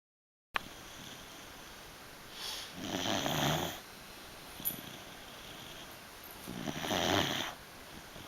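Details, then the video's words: A sleeping beagle snores indoors, with soft breathy rasps at about 3 and 7 seconds and a small snort near 4.7 seconds, over a quiet steady hum. "Snoring beagle.."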